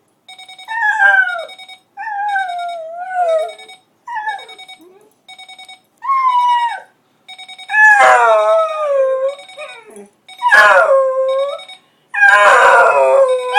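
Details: Charlie the dog reacting to a ringing alarm clock, giving short wavering howls and whimpery yodels between repeated electronic beeps, the calls growing louder and rougher toward the end.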